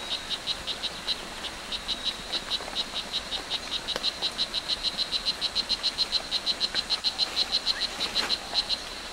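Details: Strawberry poison dart frog at Hitoy Cerere Biological Reserve, Costa Rica, calling a rapid series of short high buzzy chirps, about three or four per second, steady and insect-like over a soft background hiss.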